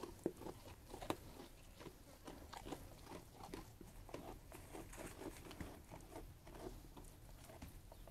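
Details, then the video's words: A feeding sheep crunches its food in a close, indoor-sounding space: dense, uneven bites and grinding chews, about seventy crunches a minute, with a few louder snaps. "Sheep Eating Food"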